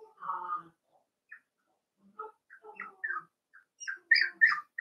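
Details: Several Cavalier King Charles Spaniel puppies playing in an indoor home puppy pen, giving a busy run of high, whiny yelps and squeaky whimpers, some short and choppy, others drawn out, rising toward a louder cluster at the end.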